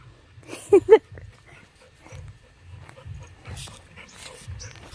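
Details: Labrador Retriever named Golden, a pet dog at home, lets out two short, sharp yelping whimpers in quick succession, then quiet shuffling and faint murmured voices continue.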